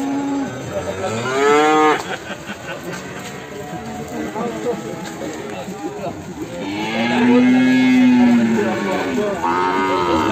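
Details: Limousin calf, Ambarketawang, Sleman, in the morning: a short rising moo, a pause filled with voices and music, then a long, steady, deep bellow of about two and a half seconds and a brief third call.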